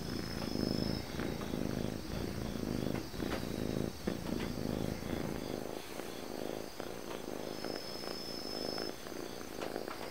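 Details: Purring calico cat, a friendly dog-like pet: a steady low rumbling purr in rhythmic pulses, roughly one per second, with faint clicks and a thin high electronic whine in the background.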